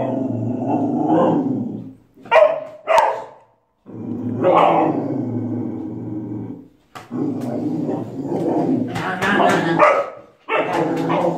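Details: Protective dog guarding a child: low sustained growls that break into sharp, loud barks, several in quick succession, with people talking nearby.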